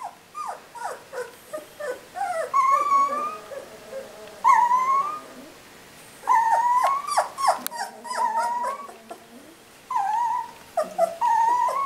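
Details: Whimpering three-week-old puppies, July 13: clusters of short, high yelps and squeaky whines come in bursts, with a lower, steadier moan at times. Quiet gaps separate the bouts.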